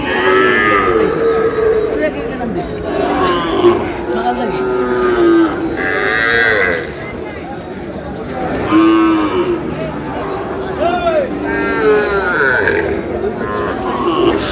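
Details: Sahiwal bull calves at a busy cattle market on 27 April, bought by a farmer from Dhaka: repeated moos from several animals, some brief and rising, others long and falling, spread across the recording amid constant crowd noise and chatter.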